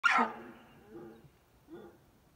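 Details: An elk in Colorado gives a short high squealing call that slides downward, followed by two softer, lower moaning notes, then a person says thank you.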